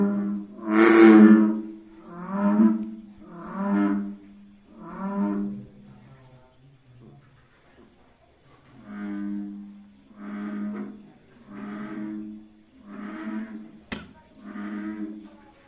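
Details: Bullfrog calling during the mating season: a run of deep, moaning, bellowed notes with rich overtones, each lasting about a second, roughly ten over fifteen seconds with a brief lull midway and one sharp click near the end.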